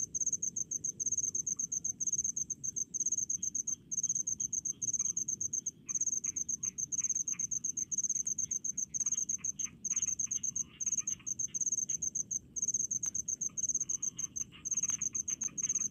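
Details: In rice paddies, crickets sing sharp, high-pitched pulsed trills in short clustered bursts separated by tiny pauses, with fainter ticking insects lower down.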